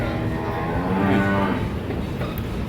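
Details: Cattle at a farm where bull calves are being bought to take to Sylhet, with calves kept in separate pens. A single steady, low, tonal moo of about one second swells in the middle, over constant background hum and murmur.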